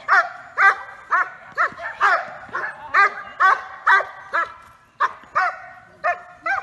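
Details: Giant Schnauzer, recorded in May 2018, giving a run of high, yelping barks at a quick, somewhat uneven pace, about two per second, with no other sounds.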